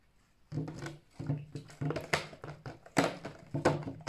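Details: Alf, a captive-bred pet red fox of the bright fiery-furred 'ognevka' type from a fur farm, gives a lazy evening 'ururu' indoors: low humming, rumbling murmurs in repeated short bursts, mixed with clicks and rustling.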